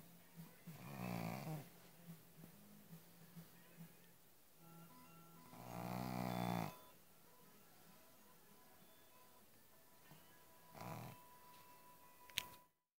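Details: Sleeping pug snoring: long raspy, rattling snores recur about every five seconds, each lasting over a second, with a low steady hum and faint quiet breaths in between.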